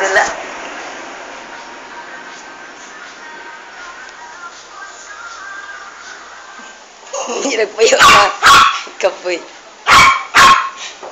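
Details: Female toy poodle barking while killing a big rat in a bathroom: after several seconds of steady hiss and murmuring, four sharp, loud barks burst out in two close pairs near the end, with a voice in the background.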